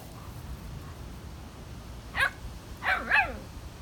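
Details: German Shepherd playing with a new German Shepherd puppy; a few short yelping barks, one single then a quick double, over steady low background rumble.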